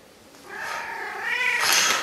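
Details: Pet cat 'singing' along between a person's sung lines: a long, loud, strained meow that holds steady, then climbs into a harsher, yowling finish lasting about one and a half seconds.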